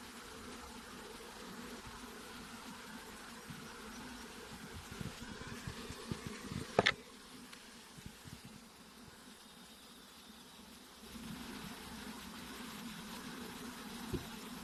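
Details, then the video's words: Dense honey bee hum, low and continuous, wavering as individual bees pass close, interrupted by a sharp click or tap midway and a few small knocks, then settling back into an even drone. "Honey Bees Sounds | Bees Sounds | Bee Buzzing Sound Effect | Honey bee Sound Effects"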